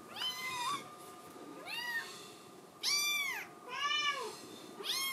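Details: Indoor Scottish Fold kitten desperate to get outside, mewing roughly once a second: five bright, rising-then-falling cries with rich overtones, some longer and louder than others.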